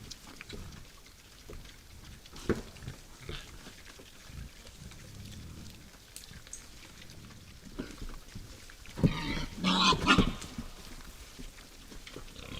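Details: Wild boar at night at a woodland feeding site, with soft low grunts early on, then a loud, rasping, broadband squeal lasting about a second and a half toward the end.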